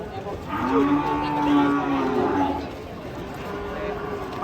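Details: Agitated cattle being unloaded from a truck, having charged at villagers: a sustained, slightly wavering low moo lasting about two seconds, then fading, over background chatter of onlookers.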